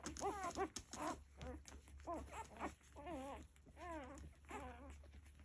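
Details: Nursing Labrador Retriever puppies make clear wavering whines, each rising and falling like a thin wobbling squeal, repeated in short bursts about once a second over a low constant hum.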